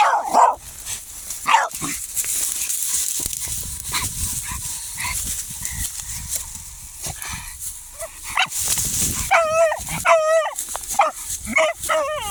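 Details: German Hunting Terrier (Jagdterrier) dog that has found a hedgehog: after several seconds of rustling and scuffling, a run of high, wavering, quavering yelps comes in quick bursts near the end.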